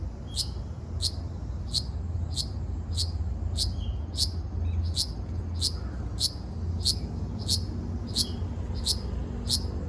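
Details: On Okinawa Island, Japan, 17 June 2026, a Ryukyu large brown cicada gives a regular series of short, shrill rasping bursts roughly every 0.6 seconds against a low background hum.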